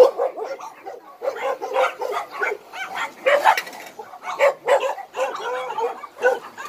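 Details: Abandoned dogs housed at Hanna's shelter in Daegu keep up a steady run of sharp, mid-pitched barks and yips, loosely spaced and overlapping, with faint talking mixed in.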